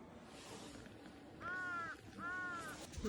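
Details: A kitten, prompted by its owner to meow, gives two clear, arching meows about a second apart, rising then falling in pitch.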